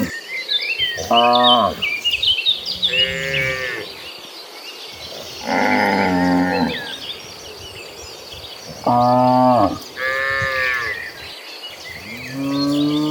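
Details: Cattle in a tame herd moving toward green pastures, lowing one after another: five or six separate moos, each about a second long, spaced by quiet gaps, against steady chirping birds and rural background hiss.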